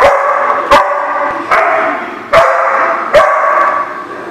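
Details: A dog barks in a lot, five sharp, loud, harmonic barks spaced roughly every 0.8 seconds, each followed by a ringing echo-like tail. No other sounds compete.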